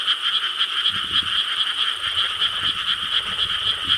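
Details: Chorus of frogs in rice paddies in Korea on a July 2013 night: fast, dense croaking pulsing about four times a second, steady and overlapping, with soft low-pitched thumps beneath.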